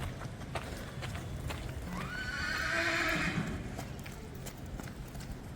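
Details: A colt neighing: a loud whinny that rises sharply, then holds a long wavering tone with stacked harmonics before falling away after about two seconds, over hoof clip-clops and low rumbling background noise.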